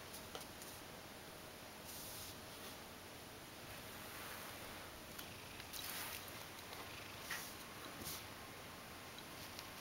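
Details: A Ragdoll cat named Mojio purrs while being stroked, showing its belly and asking for affection indoors; a soft, steady low rumble runs throughout with faint rustling and a few brief handling noises.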